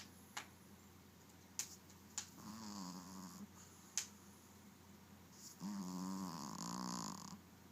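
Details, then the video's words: Maci the dog snoring: two drawn-out, buzzy low rumbles with stacked harmonics, a shorter one early and a longer, louder one near the end, separated by scattered faint clicks and ticks. "Maci Snoring I"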